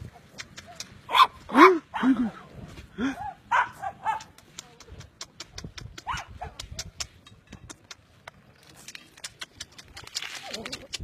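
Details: Puppy giving several short, high whining yelps with arched, rising-then-falling pitch during the first few seconds, then fading to quieter sounds; sharp clicking and tapping noises run throughout.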